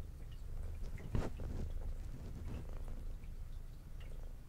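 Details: Brown tabby female cat with white belly, adopted aged two, eating indoors while purring: a dense low rumble fills the whole stretch, with one louder chewing crunch near the start.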